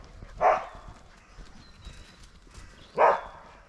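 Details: Dog barking after finding a squirrel: two short, sharp barks about two and a half seconds apart, with quiet background between them.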